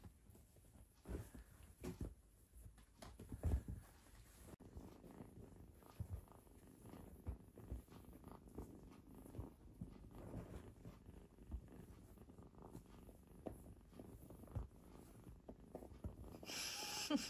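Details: Cat purring while three cats play with a person; a low, continuous rumbling purr with rapid fine pulsing throughout, swelling slightly in places, with soft rustles and a brief higher noise near the end.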